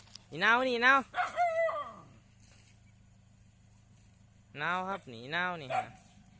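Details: Dog barking at cows at Wat Pa Thammakaram, Na Thom district, Nakhon Phanom, Thailand: two bursts of loud, harmonic, wavering howl-like barks, each lasting about a second and a half, separated by a quiet gap with steady background hum.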